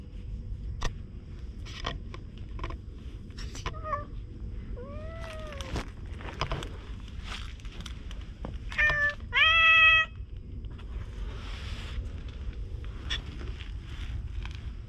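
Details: Chatty stray cat being petted in a shopping street with no people around: soft brief chirps, then descending and arched meows, ending in a louder drawn-out meow, amid rustling and low hum.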